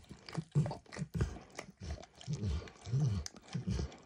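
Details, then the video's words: Close recording of Max the dog lapping food off a bumpy orange mat, eggs first and diluted peanut oil later; deep, moist slurps with bursts of smacking, roughly every half second, no voices. "ASMR Dog Licking"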